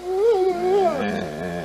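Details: Pet dog 'talking' like a human, one of two household dogs, giving a short moaning, rising-and-falling howl-like vocalization that slides downward at the end as a woman asks 'what'.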